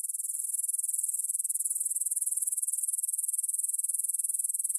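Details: Grasshoppers in a field beside the Svensky monastery, Bryansk, Russia, recorded on a Tascam DR-44WL in stereo at 9pm, 6 September 2020: steady, sharply pulsed high chirring, beats coming in quick regular succession.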